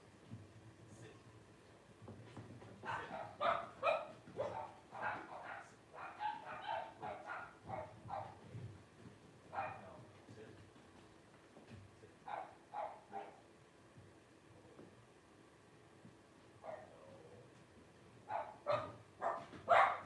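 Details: Five 12-day-old Blenheim Cavalier King Charles Spaniel puppies fussing with clusters of high, squeaky yelps and whines, coming in irregular runs separated by quieter gaps, faint low background hum throughout.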